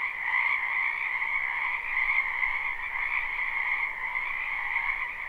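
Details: A wetland frog chorus in spring, recorded live behind a house with no looping: constant high, buzzy trilling from many callers, steady in loudness, over a soft low hiss.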